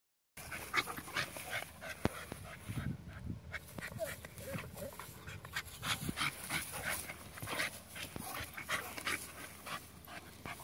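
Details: Dogs, a Staffordshire Bull Terrier and a Pit Bull, growl and snarl in rough, noisy bursts while fighting, with heavy panting and scuffling throughout.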